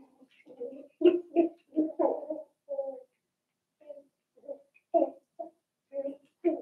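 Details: Seven-week-old Cavalier King Charles Spaniel puppies from Daisy's litter in an indoor home puppy pen: a run of short, tonal whimpers and yelps, some doubled, bunched in the first three seconds, then scattered after a brief pause.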